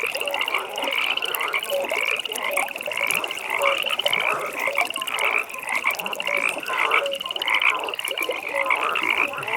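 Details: Pond frogs calling in the evening, loud rapid trills in repeated bursts over a constant chorus, punctuated by occasional short, low croaking notes.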